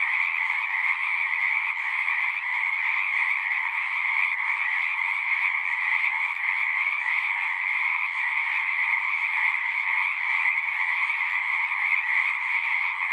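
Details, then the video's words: Continuous massed frog song, a uniform shrill trill in two steady bands, sustained without pause for the whole stretch and free of other sounds. "One hour of singing frogs."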